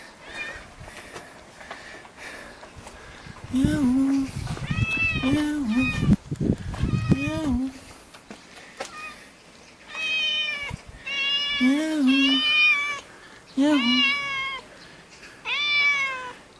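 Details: Hungry cat asking for food in a neighbourhood alley, Jeonju, North Jeolla Province, Korea: repeated long, harmonic meows with a falling tail, a man speaking over the early calls, then clear solo meows every second or two.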